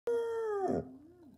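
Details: Basset Hound giving a brief howl indoors: a single steady tonal note that sags slightly and breaks into a rough, noisy catch before fading into a soft low whine.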